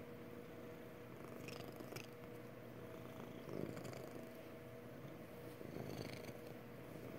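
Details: Happy purr from Magic the cat: a low, even rumble with rhythmic breathing swells roughly every few seconds, and faint light clicks early on.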